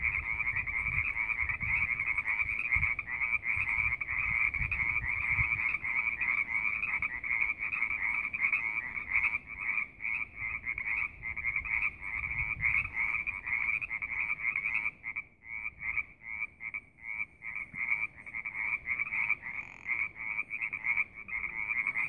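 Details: Frogs at Wildcat Canyon in a steady chorus of fast pulsed trills, continuous for the whole stretch, the pulses becoming more separated toward the end, low rumble underneath.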